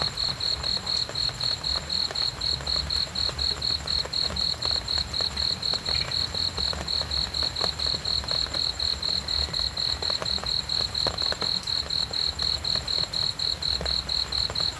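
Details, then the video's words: A cricket chirps in an even, rapid rhythm of shrill pulses, roughly four each second, sustained without a break over a faint, continuous low-pitched background hum. "cricket sounds sleeping"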